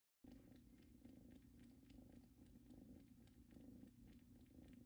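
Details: Two kittens, Luna and Luxe, settle on a blanket that came from their mother's home; a soft, steady low purr rumbles continuously with gentle rhythmic pulsing and faint clicks above, recorded indoors.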